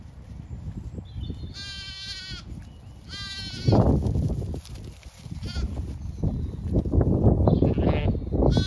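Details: Zwartbles ewes and lambs grazing fresh pasture on a regenerative farm in County Kilkenny, Ireland; two harmonic, wavering bleats near the start over steady low wind rumble, then fainter higher calls and rustling.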